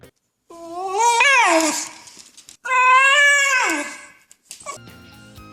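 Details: Shiba Inu, a quiet breed that barks little, gives its unique short screaming sound: two loud, drawn-out screams, each high and harsh, then falling away at the end.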